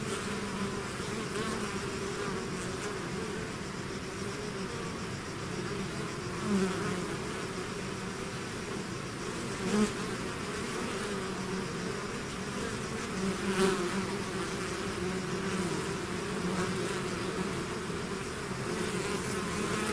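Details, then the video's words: Hive swarm of bees droning without pause for twenty seconds, overlapping wingbeat hums holding low and steady, with a few sharp nearby fly-bys standing out briefly. "bees therapy swarm natural buzzing sound"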